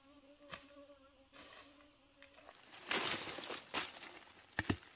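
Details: Honey bees buzzing while wild honey is harvested: a steady, low droning hum with even overtones lasts about two and a half seconds, then gives way to rustling and knocking handling noises.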